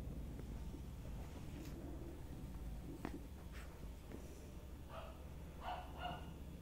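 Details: Chihuahua family at play: young Sunshine with parents Muffin and Candy; a few scattered clicks and soft sounds, then two short, bright yipping barks close together near the end, over steady low rumbling background noise.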